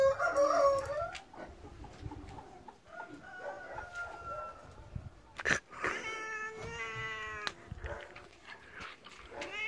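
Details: Angry tabby pet cat, male, provoked during play: an opening loud wavering yowl, a long low drawn-out moan, then strained harmonic meows near the end, with a sharp knock midway.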